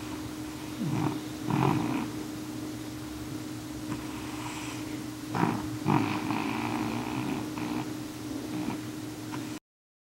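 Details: N2, a male cat, snoring as loud as he can on the couch at night, a regular habit; slow rasping breaths rise and fall over a steady low hum.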